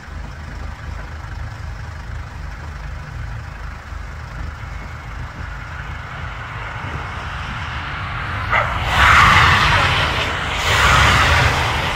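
Steady traffic rumble with a louder passing-vehicle whoosh near the end; no animal calls are heard.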